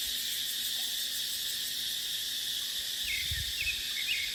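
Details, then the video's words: Cicadas in dry dipterocarp forest in the dry season keep up a constant high metallic buzz. A short run of faint chirps near the end is joined by a low wind gust. "เสียงจั๊กจั่น สายลม ในป่าเต็งรังยามหน้าแล้ง"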